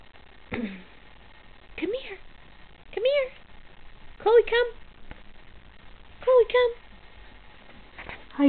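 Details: Chloe, a newly adopted Boston Terrier, indoors reacting to her own reflection in a mirror: short upward-sliding whines and yelps, about six across eight seconds at uneven gaps, with a person's voice calling her name and coaxing her between them.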